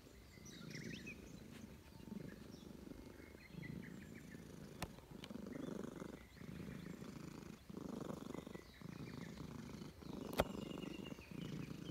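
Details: Park stray, a stern-faced Russian Blue cat that enjoys being stroked, purring to greet a returning friend. Deep pulsing purr rising and falling in regular breaths, two sharp taps, distant birds twittering.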